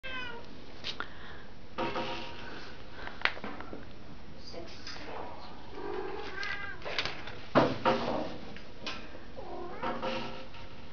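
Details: Domestic Shorthair cat up for adoption, recorded 2/4/2011, gives several drawn-out, harmonic-rich meows, some rising then falling, spaced irregularly over the stretch, with steady indoor background hiss and a faint human voice.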